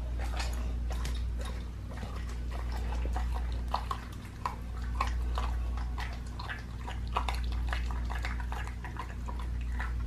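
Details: A pit bull eating a raw leg of lamb chews noisily, with wet crunches and snaps in quick, uneven bursts over a low hum.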